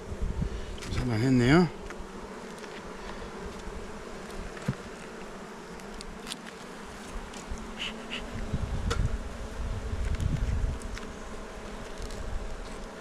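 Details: Honey bees humming in a hive kept by a beekeeper on Jirisan; the colony had stayed inside during bad weather and laid eggs. A steady low drone runs throughout, with a brief human voice near the start.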